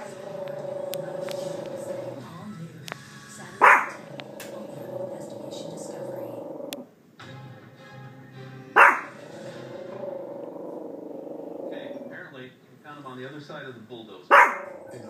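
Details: Yorkshire terrier indoors, frightened by a picture moved onto a couch during a house move: a long steady growl held for seconds, broken by three sharp loud barks spaced about five seconds apart, with faint background music.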